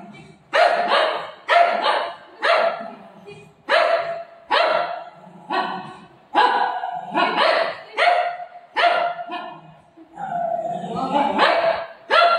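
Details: Golden Retriever barking while playing with its owner: a steady series of about a dozen strong, clipped barks, each repeated close to once per second, with faint talking in the background.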